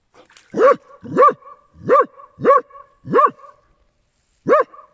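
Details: Dachshund swimming on a hot day, giving a quick run of five sharp, high barks about two thirds of a second apart, then a short pause and one more bark; no other sounds.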